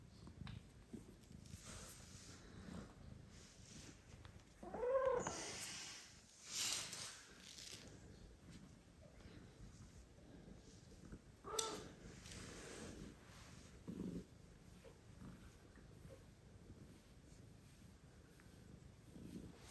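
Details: Mother cat that recently gave birth meows loudly indoors, asking to be petted while her newborn kittens sleep; a few short harmonic meows stand out around the middle, with soft rustling and quiet room noise between.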